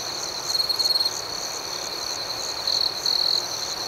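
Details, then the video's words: Crickets chirping at night: high, rapid pulsed bursts, first near the opening and then twice more later, each rising above an unbroken shrill background chorus. "Soothing Cricket Sounds"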